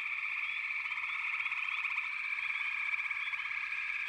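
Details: Dense chorus of frogs in a backwater, many overlapping high, buzzy trills blending into a steady shimmering wall of sound with faint rising chirps on top, no pause throughout.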